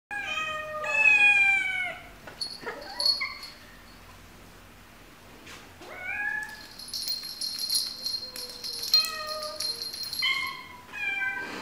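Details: Domestic cats and kittens meowing: several drawn-out, harmonic-rich meows, some falling and some rising, separated by quieter stretches with faint higher squeaky cries.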